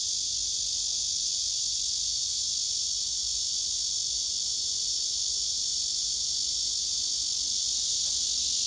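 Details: Cicadas gathered on a tree, a male singing with wings spread and abdomen raised as others sit still nearby: a continuous shrill buzzing hiss, even and unbroken throughout, with no other clear sounds.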